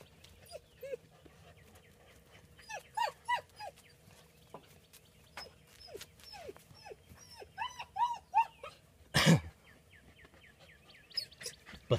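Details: Ten-week-old male German Shepherd puppies playing with puzzle games give high, squeaky yips and whimpers in short bursts, several in quick runs, with a loud thump near the end and soft background hum.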